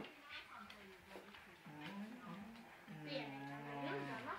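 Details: Female collie missing her puppies, giving drawn-out, whining moans that rise and fall in pitch, several in a row, the later ones longer and steadier, in a quiet room.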